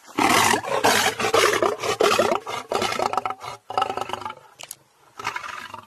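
A lion gives harsh, rasping roars and snarls in quick bursts, each about half a second long.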